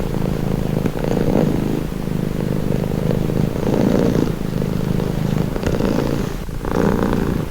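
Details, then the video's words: Cat purring steadily, a deep humming rumble that swells and fades in rhythmic breaths about every second, recorded up close with a brief rustle near the end. "Purring cat"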